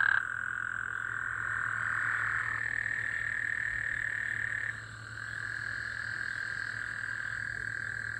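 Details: Gulf Coast toads give steady, buzzy trills overlapping into a continuous droning chorus in the middle of the night after recent rainfall, on a Monday, 24 June 2024.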